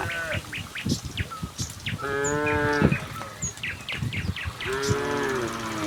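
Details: Village cattle walking together toward their pen from a neighbouring village. Two short, deep moos stand out against a background of hoof clatter, rustling and scattered bird chirps.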